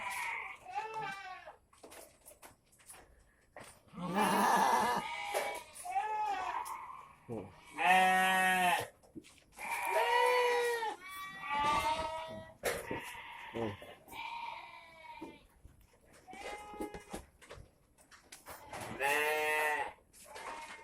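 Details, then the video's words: Goats in their shed, among them a fighting goat whose leg has healed, bleating near a spot where leftover grass is burned: many overlapping nasal bleats, some long and trembling, with human speech and rustling between. "Asap rumput menyembuhkan kambing batuk"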